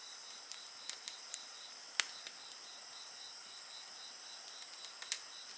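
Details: Night insects keep up an even, ringing high trill next to a bonfire; several loud crackles of the fire punctuate the continuous shimmering chorus.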